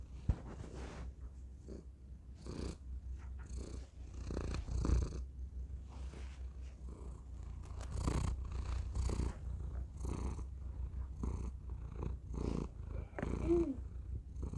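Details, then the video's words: Thor, a domestic cat, purring into a tiny microphone held close: a steady deep rumble with soft breathy pulses swelling and fading roughly every second, continuous throughout. "Thor purring into tiny microphone"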